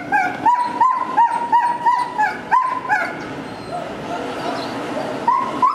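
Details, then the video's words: Excited Afghan Hounds before setting off to a dog show: a run of sharp, rising yelps repeated about three times a second, then a pause and a few more whining yelps, with household noise behind. "The Afghan Hounds"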